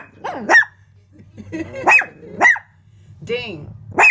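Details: Shrill barks from a house Shih Tzu confronting its window reflection, four or five spaced yaps mixed with a woman's calm talking.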